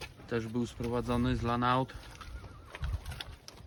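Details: Weaned Limousin calves already in their pen, fed TMR since the day before: a low, steady, harmonic bawl broken into two parts over about a second and a half, followed by faint quieter sounds and a brief high wavering whistle.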